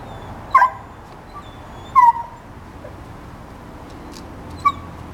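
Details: A 5-month-old purebred Plott Hound puppy at an animal shelter in Espanola, New Mexico, one of three brothers, whimpers with three brief, high, nasal whines spaced a second or two apart.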